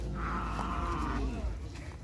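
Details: Sapudi cattle newly arrived for training at the Asemanis field, Indonesia: one sustained moo lasting just over a second, holding steady before fading, with people talking nearby.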